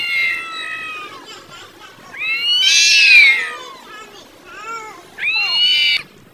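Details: Angry cats fighting loudly over food; harsh, wavering meows and yowls rise and fall, one strained wail peaking near three seconds, with a shorter rising cry closing the sequence.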